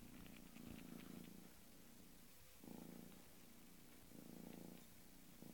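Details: Bengal kitten purring close by, low throbbing rumble rising and falling in slow breath-timed waves, with a few faint clicks early on.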